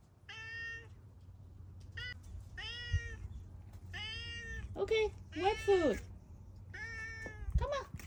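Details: Male tabby cat asking for attention as his owner takes him to eat wet food, giving about seven steady, level meows at roughly one-second intervals, a few bending and wavering, amid a quiet indoor hum and occasional speech.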